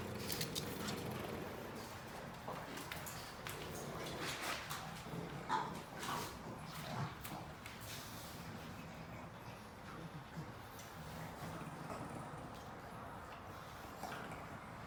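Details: A pug eating a treat, giving irregular snuffling and snorting breaths mixed with soft wet chewing clicks, with a faint whimper, all close up in a quiet room.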